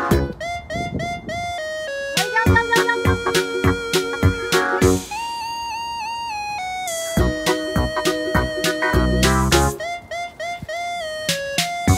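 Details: Bright electronic music with plucked, flute-like melodies and a steady beat fills the whole stretch; no animal voices heard.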